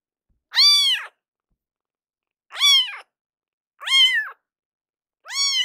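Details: Rescued kitten in foster care crying loudly indoors: four clear, high harmonic meows, each about half a second, arching up then falling, spaced one to two seconds apart with silence between.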